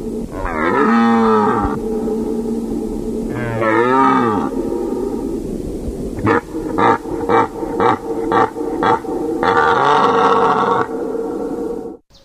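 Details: Deer calling: two drawn-out, wavering moans that rise and then fall, followed by a rapid series of short, harsh pulsed grunts, and ending in a longer moan. A steady low hum runs underneath.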